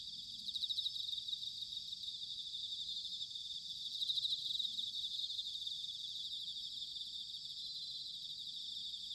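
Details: Bell crickets chirring on an autumn night in Sanuki, Chiba Prefecture: a thick layer of high, buzzy pulsed trills from many insects, with a soft low rumble underneath throughout.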